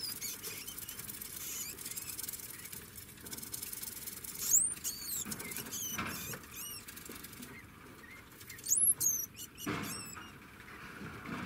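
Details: Several sharp, high-pitched looping squeals from a degu come in small clusters, separated by quieter stretches of rustling and scratching.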